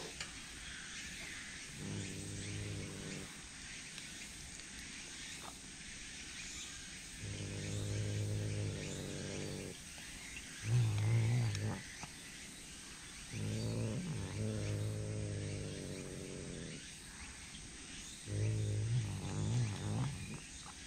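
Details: Feeding-time calls of a Tsushima leopard cat at Fukuoka City Zoo: five separate bouts of deep, harmonic, moaning growls, each one to three seconds long with brief pauses and some wavering pitch, over steady low room noise.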